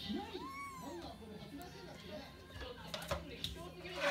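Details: Kitten meowing, wanting to eat after its food was changed to wet food: one arched, tonal meow rising then falling, followed by softer clicks and knocks, with a human voice talking throughout.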